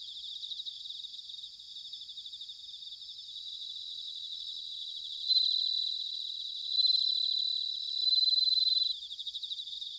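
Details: Autumn bell cricket song recorded in Sanuki, Chiba, Japan: a fast pulsing high trill throughout, rising into three clear ringing bursts between five and nine seconds, with nothing else audible.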